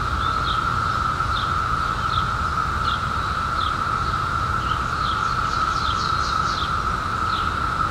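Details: Continuous level drone of a periodical cicada chorus from the 2021 emergence after 17 years underground, with a bird giving brisk high chirps roughly every half second and a quick run of notes midway.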